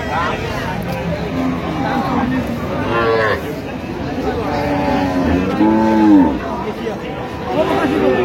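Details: Cows with calves at Amabari haat cattle market, Dinajpur, on 31 October 2025: several low, drawn-out moos rise and fall around three and six seconds amid steady crowd chatter and men talking nearby.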